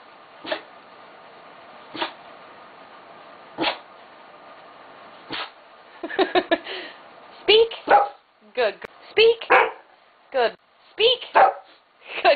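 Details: Dogs named Miet, Willow and Louis bark on the command "speak". Sharp single barks come about every one and a half seconds, then quicker overlapping barks follow. A person repeats "speak" and praises them between barks.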